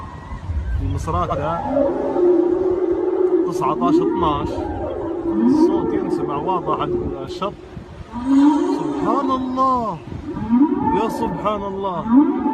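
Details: Whale calls heard clearly from the shore at Misrata on 19 December: mid-pitched, arching moans that rise and fall, with a man talking over them.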